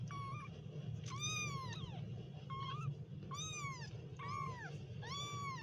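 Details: Kittens meowing: five loud, drawn-out mews with rich harmonics, each arching up then sliding down, spaced roughly a second apart, over a steady low hum.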